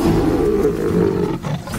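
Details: Wild lion in a pride whose territory is shared with a herd of about 300 buffalo, giving a deep, sustained rumbling roar that holds steady for over a second before fading, with faint background music.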